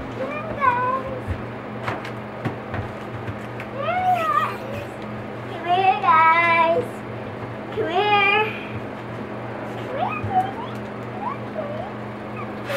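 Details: Four-week-old Boxer puppies playing and socializing with children: a series of rising-and-falling harmonic whines and whimpers, some drawn out, others short, spaced a second or two apart over a steady electrical hum.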